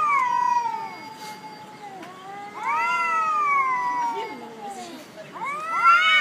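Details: Black cat named Jerry fighting on a jetty on a cat island, letting out long wailing yowls that rise and bend downward, three drawn-out screams in a few seconds, with a person speaking nearby.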